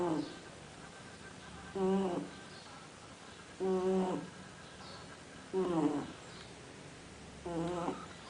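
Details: Pet dog asleep and snoring: four evenly spaced nasal snores, each about half a second long, at intervals of about two seconds, with a quiet room hush between them.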